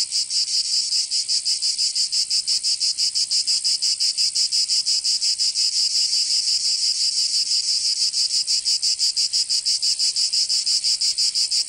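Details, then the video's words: Summer cicada chorus from Provence in southern France, a shrill high-pitched buzz throbbing in quick regular pulses, roughly three per second, unbroken throughout without other animals or people. "Canto Cigarra 🦗 [ Escuchar les cigarras en verano 10 H]"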